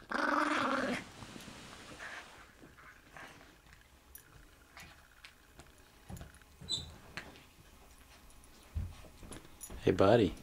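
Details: A Toy Fox Terrier gives a low, rumbling growl while chewing a bone, with a person talking softly nearby.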